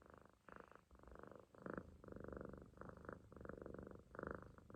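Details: Relaxed Munchkin kitten asleep in a loaf pose on its owner's stomach, snoring quietly; rough, breathy rasps come in uneven pulses, some short and some longer, at a low level.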